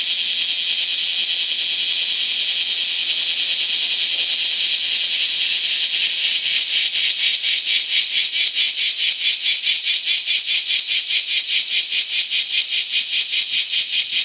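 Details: Several bear cicadas singing between rain showers inside the strong-wind zone of Typhoon No. 12: a loud, dense, high buzzing that builds after a steady start into a rapid, pulsing rattle, sustained throughout.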